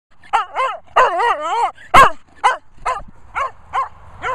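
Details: Cocker Spaniel retrieving, giving a series of high, wavering whines and yips, some drawn out and warbling, with one sharper bark in the middle; quiet background.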